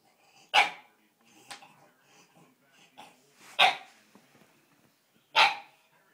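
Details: Bulldog indoors, reacting while watching a dog show on TV: three sharp, loud single barks spaced a couple of seconds apart, with softer huffs and low grumbling noises in between.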